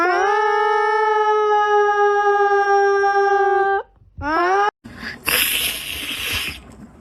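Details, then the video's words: Cat making a funny sound: one long, steady, drawn-out howling note lasting nearly four seconds, then a short rising cry, followed by a burst of broad hissing noise. "Funny Cats, Sound Activated"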